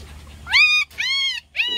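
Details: Puppy crying loudly among littermates vying for attention: two drawn-out, high whines with a rising start and flat ending, then a third beginning, after a quiet lead-in.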